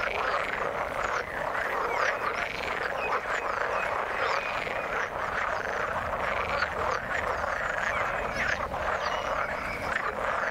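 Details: Water frogs croak in a thick continuous chorus, rapid overlapping notes repeating throughout with occasional sharper calls rising out of the steady background.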